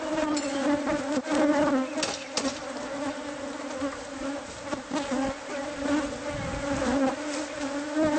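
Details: Many bees buzzing as a hive concealed in a house's walls is removed. A steady, humming drone fills the recording, with knocking and scraping sounds from the work.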